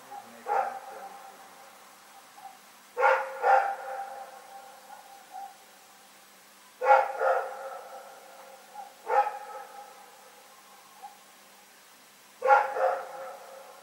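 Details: Dog named Rex barking at night on February 27, 2018: a slow series of five bursts, single and double hoarse barks, separated by gaps of two to three seconds of near silence.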